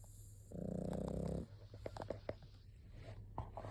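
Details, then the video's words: Pug snoring indoors: one loud, fluttering, buzzy snore lasting about a second, followed by quieter snuffles and faint clicks against a low steady hum. "パグ いびき"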